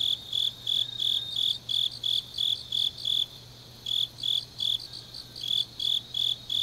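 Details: Autumn night chorus of grass insects in Changnyeong, South Korea, late at night; clear high-pitched chirps in a steady pulse, a brief lull in the middle before the rhythm resumes, low constant hum beneath.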